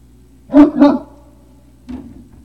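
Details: Great Dane puppies at Puppy Hill, recorded 03-05-2019 around 17:06: two quick, sharp barks close together, then a softer third bark after a short pause, over a steady low hum.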